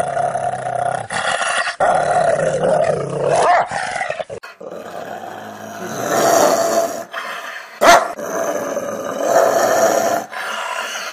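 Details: Rottweiler growling with a long, rough, continuous rumble that swells and fades over about eleven seconds, broken by a few short gaps.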